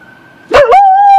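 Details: Pet dog begins howling along with an ambulance siren: a faint steady tone, then a sudden loud wavering howl that settles into a long held note.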